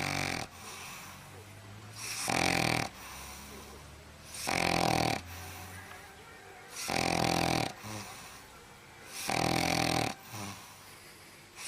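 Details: Sleeping dog snoring loudly indoors: broad, raspy snores about every two and a half seconds, each lasting under a second, with quieter breathing between them.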